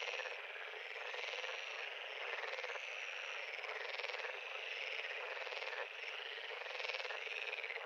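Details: Frogs calling at a pond: a dense, continuous chorus of overlapping pulsed, buzzy trills in a steady wall of sound, with slight swells in loudness and no other sounds.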